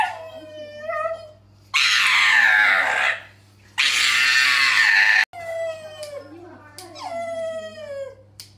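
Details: Pug squealing during a nail trim at a vet clinic in Suzhou, eastern Jiangsu, October 16, held by one vet while another clips its nails. Two long, piercing screams alternate with shorter whimpering whines that slide downward in pitch.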